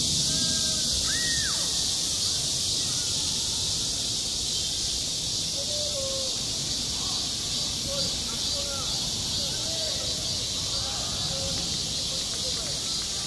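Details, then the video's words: A steady, piercing cicada drone fills a summer school playground without a break, with faint distant voices and brief lower calls scattered underneath. "한 여름 운동장에서 매미가 울고 있다"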